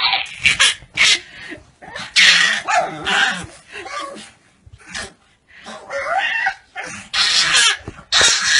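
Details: Dog joining in at full force with a baby's harmonica, loud rough barks and wavering howl-like cries in dense bursts separated by short pauses.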